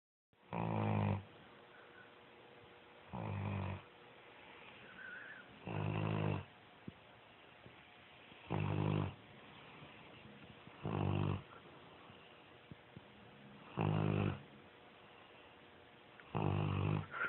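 A Bloodhound snores steadily, a deep rumbling breath repeated about every two and a half seconds.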